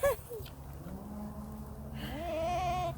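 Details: A male goat gives a drawn-out, quavering bleat that rises and wavers, with a person's voice nearby; he has just fathered a new baby goat kept with its mother. Goat.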